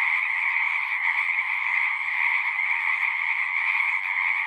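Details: Many frogs singing at once make a seamless, vibrating chorus, a high trilling band over a softer lower one, with slight swells in loudness.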